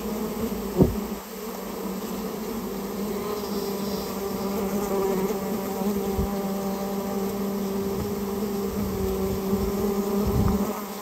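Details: Japanese honey bee colony from a storehouse nest during removal, droning steadily and densely, with one sharp knock early and low dull thumps scattered later.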